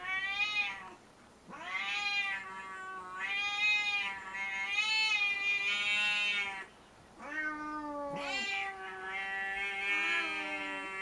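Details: Puchi the house cat, enraged after being disturbed mid-play and glaring at Kuma: a string of loud, drawn-out wailing yowls, each lasting one to two seconds with brief pauses, some dipping into lower growling moans.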